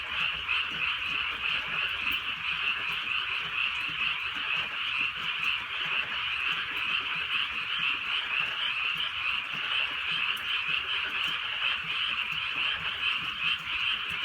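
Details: Frogs calling in a thick, unbroken chorus on a countryside night during light rain; shrill overlapping trills pulse continuously, and faint raindrop ticks are heard behind them.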